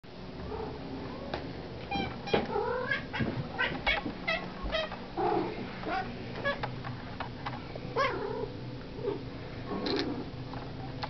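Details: Domestic cat wanting dry food, meowing insistently indoors: a run of drawn-out, wavering harmonic meows, some rising and falling, repeated every second or two over a steady low background hum.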